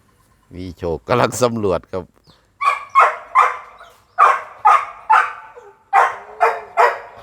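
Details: Red-nose American Pit Bull Terrier, a mother with her puppies: a man talks briefly, then about eight short, sharp yelping barks come in a loose series, roughly one every half second.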